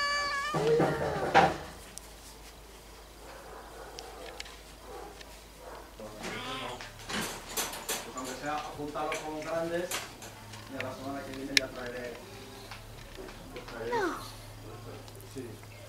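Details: Cats up for adoption in Zaragoza, indoors: a loud, drawn-out meow opens, then a run of shorter wavering meows follows amid Spanish speech, a cupboard-like knock and a steady low electrical hum.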